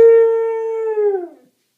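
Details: Domestic dog at home howling in response to a show's closing howls, a single loud, pure tone held level for over a second before bending down and trailing off into silence.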